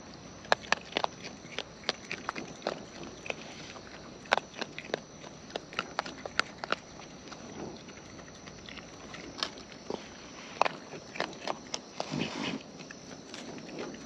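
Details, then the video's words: Wild raccoons eat close up, their natural chewing heard as dense, irregular crunching snaps and sharp clicks, sometimes in quick runs, over a steady high background hiss, possibly insects. "Wild Raccoons & ASMR Chewing Sounds"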